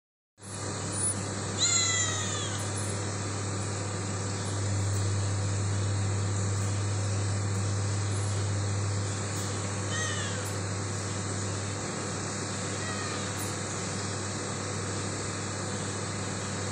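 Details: A cat paying an early morning visit meows three times: drawn-out, falling, harmonic-rich calls near the start, around ten seconds and around thirteen seconds, over a steady low hum.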